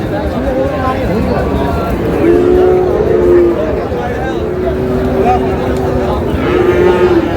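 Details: Friesian and crossbred bull calves at Raniganj cattle market in Dinajpur, Bangladesh; a steady drawn-out moo repeats two or three times over constant crowd noise and chatter of people bargaining.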